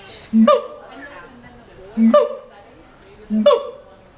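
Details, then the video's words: A caged monkey at the LA Zoo gives three evenly spaced calls, each a short low tone leaping into a harsh higher burst, with quiet pauses between. "monkey making funny sounds"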